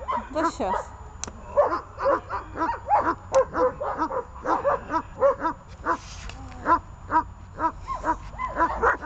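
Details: Leashed dogs Glemmi, Fela and Rey barking in dense, quick bursts, about two per second, with some whining tones between barks and a human voice mixed in.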